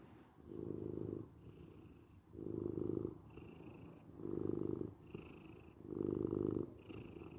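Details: Close, rumbling purr of a domestic cat: four strong pulses spaced under two seconds apart, with a soft murmur between them and a faint airy hiss on each loud phase.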